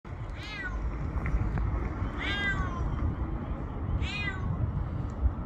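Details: Domestic cat stranded on the top floor of an earthquake-damaged building whose first two floors were destroyed, crying for help on the eighth day after the quake; three loud, descending meows about a second apart over a constant low rumble.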